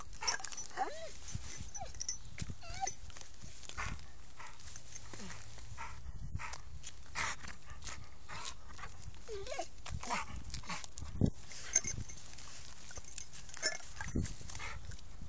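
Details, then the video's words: Sam, an American Staffordshire Terrier, lets out short high whimpers that bend up and down in pitch, scattered between clicks and rustling, with a low hum and faint voices in the background. "American staffordshire terrier - SAM"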